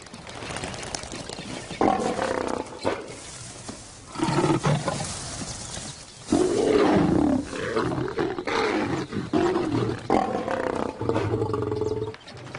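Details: African lions of a pride, fathers reacting to maturing cubs, give deep rumbling roars in bursts separated by pauses, each burst a series of low grunting pulses, with some wind-like background noise.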